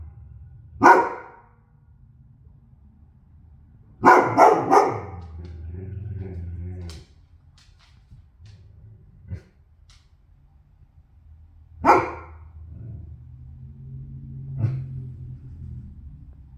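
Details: Goldendoodle barking indoors: sharp single barks and a quick double bark spaced several seconds apart, with low rumbling growls and whines between them in a quiet room.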